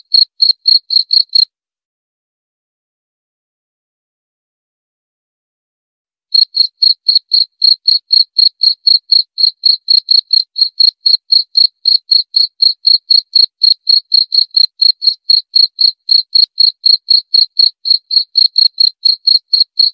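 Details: Cricket chirping steadily, short pure chirps near one pitch repeated about four times a second, with a harmonic overtone; a brief burst, then about five seconds of silence before the chirping resumes and continues evenly. No other sounds.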